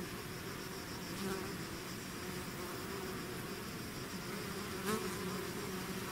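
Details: Out of the hive, a swarming mass of bees produces an unbroken low buzz with wavering overtones, while one nearby bee briefly rises louder just before the fifth second.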